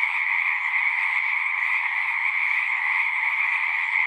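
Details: A pond in a horse pasture holds a full frog chorus, taped with a Zoom 6: many callers trill together in an unbroken, steady drone with no gaps or other clear sounds.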